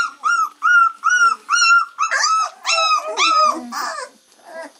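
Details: Three-week-old Labrador Retriever puppies: a run of clear, high whines, each slightly arched, repeating about twice a second, then rougher overlapping squeals from several pups, fading into softer whimpers.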